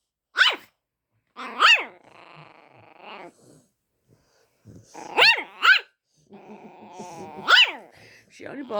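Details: Household dog barks at another dog for the first time, giving loud, sharp barks, singly and in a pair, about five in all spread over several seconds, while a person talks softly in the gaps.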